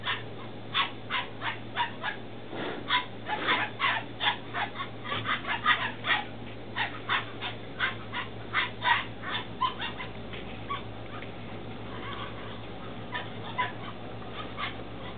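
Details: Belgian Malinois Shepherd puppies, 10 weeks old, in Williston, Florida, a litter born 2-16-2015: rapid high yips and whimpers, many short calls overlapping for about ten seconds, then fading to scattered yelps over a steady low hum.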